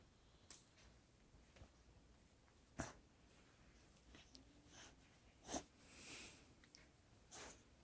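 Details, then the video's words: Shiloh, a pet dog, sleeping and snoring at Thanksgiving in November 2020: soft breathy snorts and wheezy exhalations arrive irregularly, a few seconds apart, one longer drawn-out breath among them, in a quiet indoor room. "Sleeping & snoring Shiloh"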